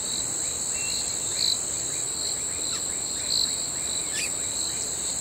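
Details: At night, crickets produce an unbroken high ringing tone and a pulsing lower trill that strengthens about every two seconds, with a few quick sharp chirps mixed in.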